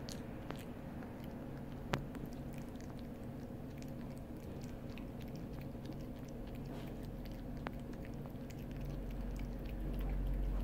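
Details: A blue-merle long-haired dachshund puppy, recovered from distemper, chews jerky with soft, wet, repeated crunching and gnawing sounds.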